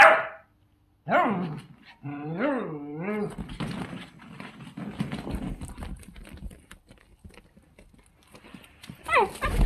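A miniature dachshund opens with a few sharp barks, then breaks into rising and falling howl-like yowls with clear harmonic wavers. Household rustling and soft voices fill the middle before a final bark near the end.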